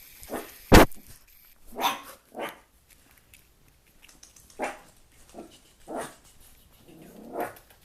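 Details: Puppy giving short, sharp barks and yips in about six separate bursts spaced one to two seconds apart, with one loud click or knock near the start and a quiet room between calls.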